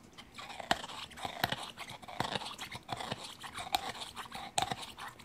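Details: Bulldog Gaia happily working on a chew: distinct loud crunching bites about every half second to second, moist smacking between them, close and indoors.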